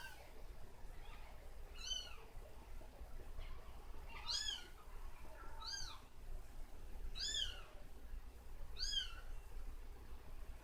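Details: Kittens after drinking formula, being patted on the back to burp; five thin, high, arched mewing calls spaced about one to two seconds apart over a quiet low hum.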